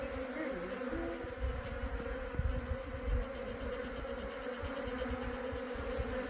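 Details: Honey bees returning to their hive box after the queen did not arrive, producing a constant droning hum with low rumbling bumps and light background hiss.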